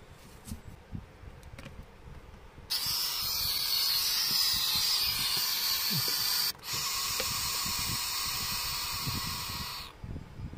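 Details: Noisy pet pacman frog starting after a quiet opening with a loud, steady, breathy hissing that lasts nearly four seconds, breaks off briefly, then returns for another three seconds before fading out.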